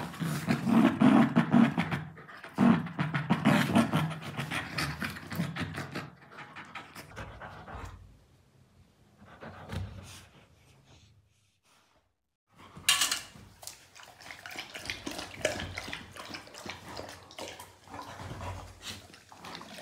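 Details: Labrador Retriever, a pet playing with a pillow indoors with a German Shepherd puppy; rapid, loud panting and snuffling for the first six seconds, a near-silent pause, then a sharp noise and softer scuffling sounds.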